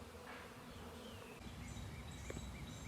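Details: Honey bees from a hive extracted from the chimney of an old farmhouse, now settled in a new home and foraging. A steady, low droning hum runs throughout, with faint high bird chirps in the background.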